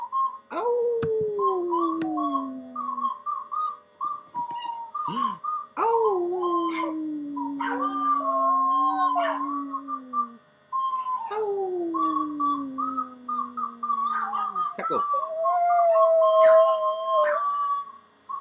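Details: Puppy in army gear howling along to a flute: long drawn howls that start high and slide down, repeated several times, under steady, wavering flute notes, with a person talking now and then.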